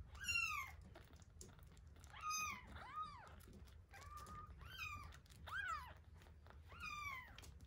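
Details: Week-old kittens Terra and Towa crying during feeding: overlapping high, arched mews, some rising then falling, repeated every second or so against soft room noise.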